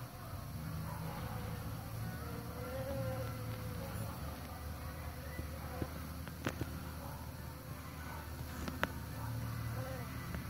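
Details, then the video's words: Bees at work pollinating, giving a low, steady droning hum with a wavering higher tone that rises and falls around the third second, plus a few sharp clicks near six and nine seconds. "Bees Pollination"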